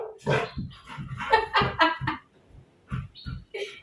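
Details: A Golden Labrador gives a run of short, hoarse barks at a big suitcase he sees for the first time, frightened and running from it, with a person speaking close by to calm him.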